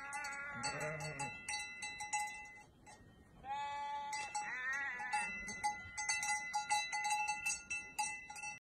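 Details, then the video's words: Sheep in the mountains giving a loud, wavering, quavering bleat near the start, followed by fainter calls, while metallic cowbells clank and jingle steadily throughout. "Sheep & mountains"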